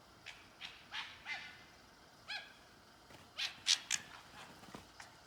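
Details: Two red foxes making noise, playing or fighting, behind a guesthouse in Kijimadaira, Nagano, Japan; a series of short, sharp, high yelps and harsh screeches with rising-falling shape, roughly a dozen over five seconds, louder toward the end.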